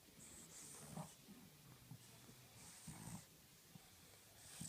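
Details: Tired French Bulldog snoring and snorting at rest, low rough breaths repeating about every second and a half, with soft hissing exhalations between the louder snorts.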